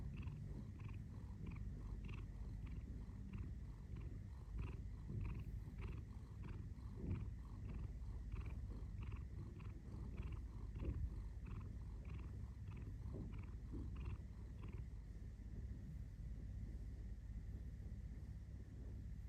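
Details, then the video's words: Continuous low purring rumble from a domestic cat, steady throughout, with a regular series of short, higher tonal pips sounding about twice a second until near the end. "cat purring"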